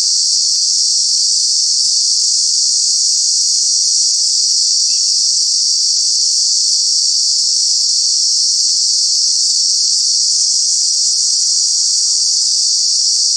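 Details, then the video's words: Very loud summer cicada call in Kanha National Park: a dense, unvarying high buzz running continuously from start to finish, nothing else standing out. "Cicada, Cicadas are true bug with very loud sounds"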